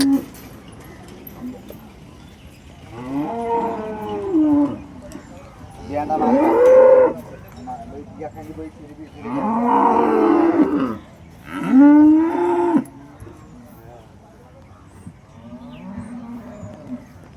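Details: Holstein Friesian cattle at the Loni cow market, 10 June 2026: four drawn-out moos in a row, rising then bending down, some ending in a strained held note, over a low background hum of the market.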